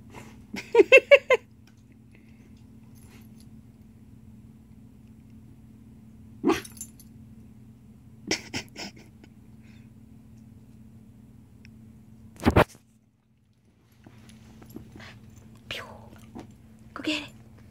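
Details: Shiba Inu named Rainbow at home with another dog, Ringo, while they share. A short run of four high, tonal, harmonic whining yelps opens the clip, followed by scattered clicks and knocks over a steady low hum.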